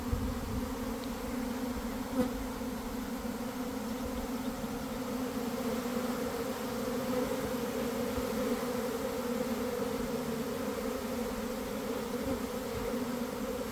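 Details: A big swarm of honey bees pouring from a hive in a garden around one o'clock, following a week of cold damp weather; long, even, sonorous drone of a mass of bees, holding steady level the whole time.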